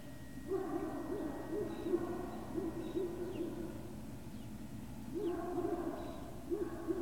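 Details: Great Dane puppies at Puppy Hill, 18 November 2018: low, hooting whines in wavering bursts with ringing overtones, a run of calls for the first few seconds, a pause, then another burst near the end.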